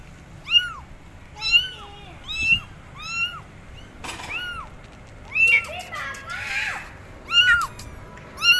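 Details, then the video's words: High, arched meows from abandoned kittens on a gate crying for their mother, repeated roughly once a second with a brief burst of noise in the middle. "Abandoned Kittens Are On Gate Meowing Loudly Calling Mom Cat"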